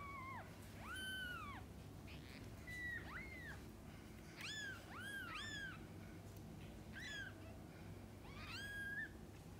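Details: Kittens and their mother while she feeds and bathes them: a busy run of high, bent meows, some overlapping, repeated roughly every second or so above a constant low background hum.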